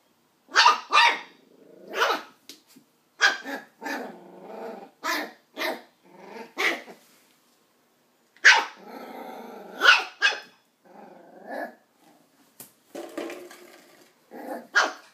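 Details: Nine-week-old Westie pup Doc barking at an empty coke bottle; a rapid series of shrill yaps, often two close together, mixed with growly rumbles between them and a short pause midway.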